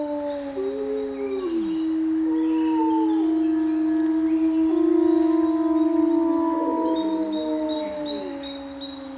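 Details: Gray wolves howl together in chorus after one wolf starts the call and the rest join in, long sustained tones overlapping in shifting harmony.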